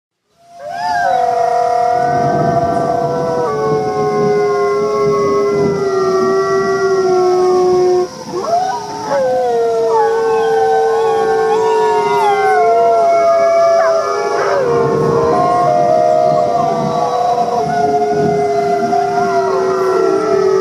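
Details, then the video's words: Several wolves howling together to communicate and bond with the pack: overlapping long, smooth tones that hold steady then slide up and down, layered into a continuous chorus with brief breaks around eight seconds. "Sometimes wolves just love the sound of their own voice! Why talk when you can sing?"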